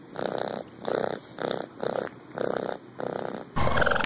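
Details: A raccoon (Procyon lotor) purrs in soft, throbbing bursts, each about a third of a second and repeated steadily, a purr showing it is happy and safe or in contact with its caregiver.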